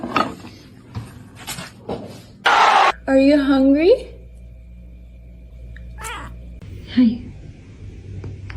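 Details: Domestic cat in a funny-cat compilation gives one loud, drawn-out meow that rises then falls, lasting about a second, with human speech and scattered household noises before and after.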